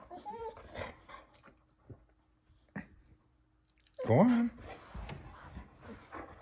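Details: Female Boxer Pyper digs for her ball wedged between couch and table in a small room; soft snuffles, then one sharp rising whine near the end, with a person cheering her on and praising her success.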